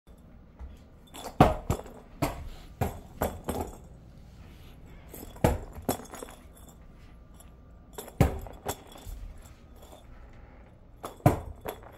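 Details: Scattered glassy clinks, jangling and knocks sound over quiet room noise, with no animal calls.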